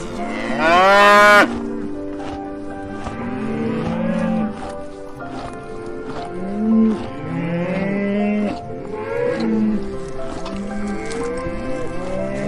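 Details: Cows mooing, several deep drawn-out moos overlapping one another, some rising then falling, with one loud, higher, strained call near the start and a steady layered background of lowing throughout.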